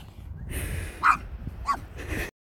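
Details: A pug barking at a sheep and wanting to play gives a few short, sharp, mid-pitched barks in quick succession.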